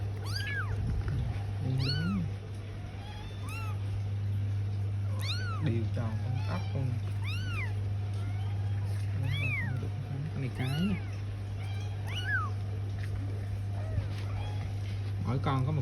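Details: Bengal kittens mewing repeatedly, thin arched cries rising and falling in pitch, several overlapping from more than one kitten, roughly every second or two over a constant low electrical hum.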